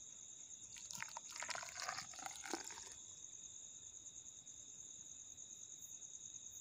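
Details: A dune cricket of the Thar Desert on the India–Pakistan border, which burrows one to two feet deep in sand dunes, gives a steady, high, unbroken buzzing tone, with brief scratchy rustling near the start.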